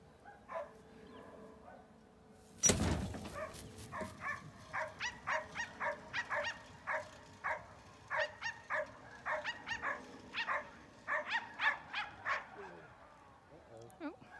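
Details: Silken Windhound on a run. Short, sharp barks repeat about twice a second for some eight seconds after a loud thump. The barks come in uneven bursts against a quiet background.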